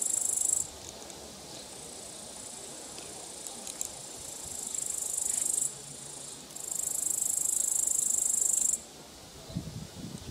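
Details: Grasshopper stridulating up close during an evening walk, a dry high-pitched rasping buzz in long bursts with short gaps between them, over soft background hiss.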